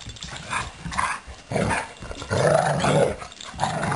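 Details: Blue and Suri, two pet dogs, in a rough play session; repeated throaty growls and grumbles, loudest toward the end, with a continuous low rumble and scuffling between bursts.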